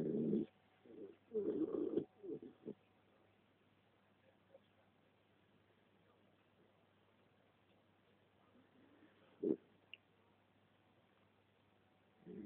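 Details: A three-year-old West Highland White Terrier, female, snoring while asleep beside her owner indoors; low rasping snore bursts in the first three seconds, then quiet breathing with a single snort near the end.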